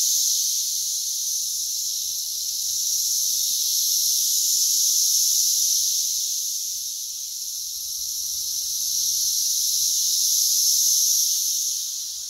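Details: Brood X periodical cicadas in West Virginia, June 2021, loud and plentiful, crawling everywhere, about 85 dB measured on a phone app: a dense, steady high-pitched hiss from countless insects, swelling and fading in slow waves.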